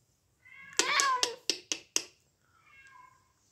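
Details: Bengal cat giving one loud, drawn-out meow that falls at the end, followed by a quick run of short clicking chirps, then a softer trailing meow in a quiet room.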